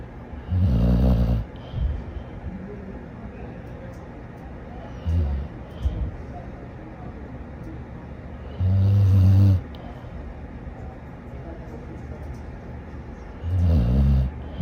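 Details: Dog sleeping and snoring in loud, low, buzzy rumbles, four main snores at irregular intervals of about four seconds, with small snuffling breaths between them and a faint background hum.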